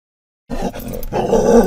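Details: Scottish Terrier riding in a van, barking at other dogs and cats it sees; after half a second of silence comes one harsh, rough, growly bark that runs on for about a second.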